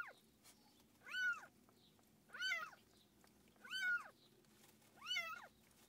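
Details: Domestic cat during the birth of a litter of seven kittens, filmed up close indoors; four loud, drawn-out meows that rise then fall, repeating roughly every 1.3 seconds over a low steady room hum.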